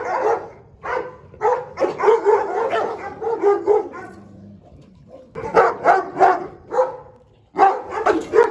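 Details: A fierce Presa Canario guarding its food barks loudly and harshly in fast runs of rough, broad barks, about three per second, with short breaks between volleys.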